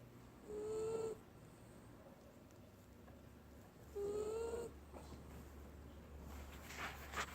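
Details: Benji the Wiener Dog snores in deep sleep: two whistled, slightly rising squeaks about three seconds apart, each wrapped in a soft hiss, then low rustling noise.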